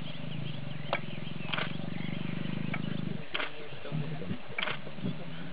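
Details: In South Africa's Sabi Sands a lioness pesters a worn-out male lion to mate; low throbbing growl holds steady for about three seconds, then gives way to quieter grunts, snaps and brief clicks.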